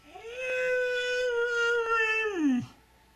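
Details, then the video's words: Pet dog, a good girl, howls on cue when asked to say Merry Christmas: one sustained, even tone held for two seconds before a quick downward slide at the end, with faint background music. "Mishka says "Merry Christmas!""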